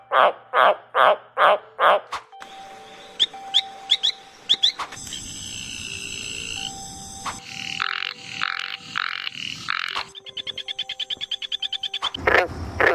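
A quick run of different frog calls, from pulsed croaks to rapid trills, over soft music.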